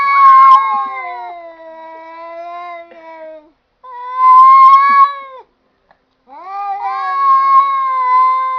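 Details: Cats that sound like they are talking trade long, harmonic meows. A loud opening call trails into a falling moan, a second sustained yowl follows, and a third rises after a brief pause.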